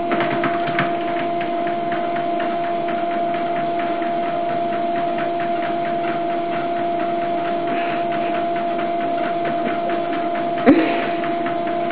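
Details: A continuous machine hum with steady tonal lines and a rapid rattling pulse, broken by one sharp knock.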